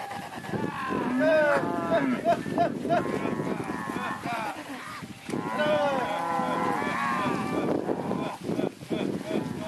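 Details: Herd of Red Angus and Angus heifers and cows, with a few Jerseys and crossbreds, lowing together: overlapping bellows with arched harmonics, dense in the first and last thirds, amid steady wind rumble and human voices.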